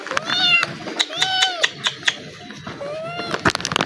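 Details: Kitten that recognizes a person after one day of affection, running to them apparently hungry; a series of clear, rising-then-falling meows, about four in quick succession, then a longer drawn-out meow, with clicking taps and a voice calling nearby.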